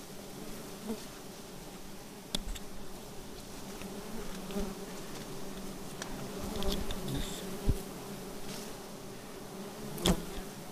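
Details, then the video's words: Honey bees disturbed during a night-time honey harvest under a bright moon, giving a steady low droning hum with a fainter higher overtone, broken by occasional clicks and knocks from handling. "Ambil lebah madu di bulan terang"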